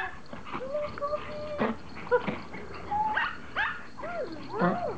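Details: Excited Pomeranians welcoming their owner home from vacation; a run of high, bending whines and squeaky yips, some rising then falling, tumbling over one another with soft human voices behind.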